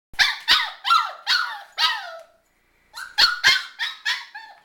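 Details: Shiba Inu making noise at home, giving a run of short, sharp yelping barks with falling pitch, about five in two seconds, a pause, then another quick series of similar yelps.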